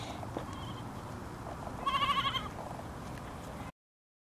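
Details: Goat giving one wavering, tremulous bleat of about half a second, pulsing rapidly near the middle of the clip, over a steady hum of background noise before the sound cuts off.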